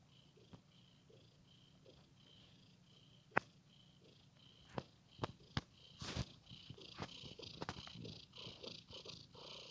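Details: Pet cat playing with a blanket, giving a soft, low rhythmic purr beneath scattered sharp clicks and rustling taps that grow busier toward the end.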